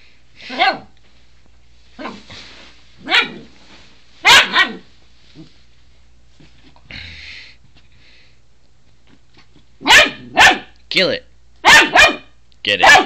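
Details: Pet dog attacking a toothbrush, recorded on a phone; scattered sharp high barks with pauses, then a rapid cluster of yappy barks near the end.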